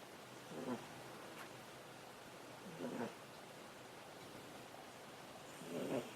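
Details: Ameta, a pet cat sleeping on a person's desk, gives three slow, breathy snores about two to three seconds apart, each a short rasping rumble separated by near silence.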